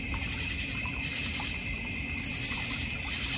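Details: Crickets in a backyard in the North Georgia Mountains, beside a koi and goldfish pond, bird feeder and fire pit; a steady high insect trill runs throughout, with a brief burst of rapid pulsed chirps near the end.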